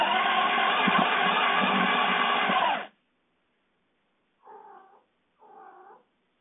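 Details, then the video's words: Domestic cats at night: a long loud harmonic yowl lasting about three seconds, then silence and two short, quieter meows, each about half a second long. "What are my cats doing at night?"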